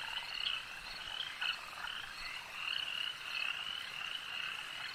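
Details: Lakeside frog chorus, with numerous frogs producing overlapping short, high-pitched croaks and trills that swell briefly near the start and again midway through the continuous wall of sound.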